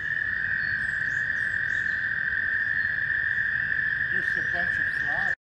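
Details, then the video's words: Mating-season chorus of American toads at a shallow pond by Warbler Bridge in Wehr Nature Center, warm May day. One steady, high, sustained trill runs throughout, with faint brief calls and chatter near the end before cutting off. "Toads Looking for Love"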